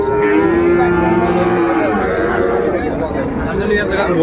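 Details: Calves and cattle at a busy market in Mymensingh, Bangladesh, 14 January 2025: a low, level moo held almost two seconds, later fainter calls, over loud bargaining voices and crowd din.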